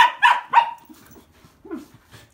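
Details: Two sister Pembroke Welsh Corgis play-wrestling right after arriving at an inn; three sharp, high barks in quick succession within the first second, then quieter scuffling and a short low growl-like grunt.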